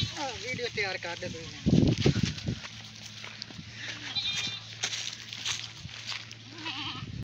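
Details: A goat in water bleats in short quavering bursts at the start, then a louder splash and intermittent talking, with faint further bleats later.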